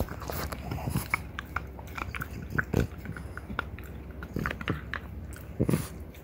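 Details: Indoors, a female French Bulldog pair, mother and one-and-a-half-year-old daughter, gnawing deer antler; dense scraping and grinding with repeated hard crunches, low thuddy chomps throughout.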